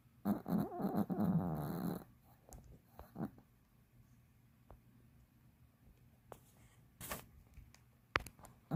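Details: Elderly Pomeranian, aged 15, snoring while fast asleep: one long, rough, rattling snore near the start, then quiet breathing broken by soft clicks and brief sharp snuffles.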